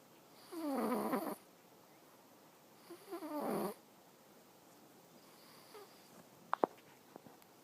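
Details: Awaru the cat snoring in sleep: two rough, rattly snores a couple of seconds apart, then quiet breathing and a few small sharp clicks near the end.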